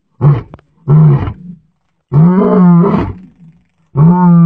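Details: Wild lions roaming freely in their natural mountain habitat of Aberdares National Park, giving deep thunderous roars: four low, moaning bursts, the longest about a second, each separated by short silences.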